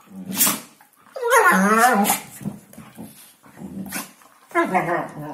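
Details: Hungarian Vizsla talking at New Year: a short throaty sound, then a long wavering, yodel-like moan that bends up and down, and a final warbling grumble after a pause.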